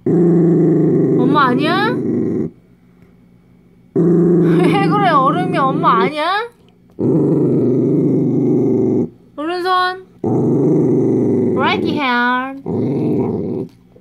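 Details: A Dachshund growls in long rumbling bursts that break into rising, yelping whines, apparently over a dog chew; Dachshund.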